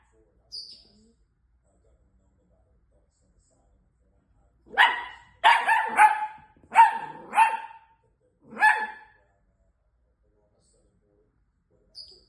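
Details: A female long-haired miniature dachshund puppy gives a quick series of high, sharp, yappy barks, reacting dramatically on finding that her dad was not home.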